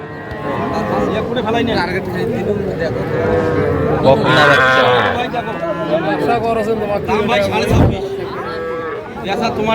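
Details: At a Comilla, Bangladesh calf market, 11 January 2025, small bull and heifer calves are sold to farmers. A wavering moo stands out midway over dense bargaining talk, with background music and a brief thump near the end.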